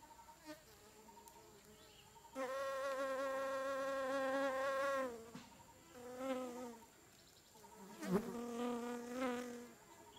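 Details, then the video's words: Wild blue-banded bee (Amegilla) licking a tripod in deciduous dipterocarp forest, Mae Ping National Park, Lamphun, Thailand, in the afternoon; a sustained droning buzz with rich harmonics, surging loud for several seconds, then shorter bursts fading in and out. "Blue Banded bee, Thailand."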